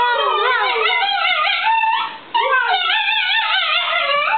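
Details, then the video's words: A small mixed-breed dog, Italian greyhound and min pin, 'talks' to his owners in a continuous wavering howl, pitch undulating up and down in rich harmonics, a brief pause near the middle before the warbling resumes. "Louie 'singing'"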